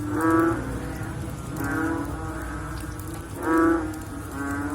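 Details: Post-rain frog chorus: short, rich, low groaning calls from more than one frog. The loudest come at the start and near the end, with fainter answering moans in between.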